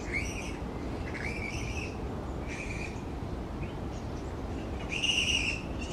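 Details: Grey-headed flying foxes in a large tree colony utter a series of short, strident squeals about every second, the loudest burst near the end, against steady low background noise.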